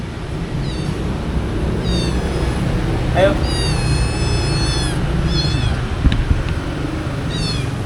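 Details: Stray cats living around the stalls of a local market, being given medicine: several high, drawn-out meows with rising and falling harmonics, one cat calling repeatedly over a steady low rumble of market traffic and noise.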